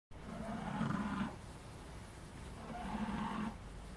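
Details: Sleeping puppy snoring: two drawn-out rasping breaths, each about a second long and about two seconds apart, low and raspy with a faint hiss in between, in a quiet room.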